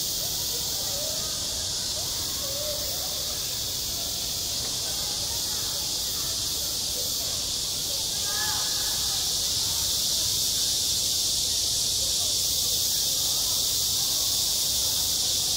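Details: Cicadas singing in high summer on a school playground: a dense, steady, hissing buzz that fills the whole clip without a break, with faint distant voices beneath.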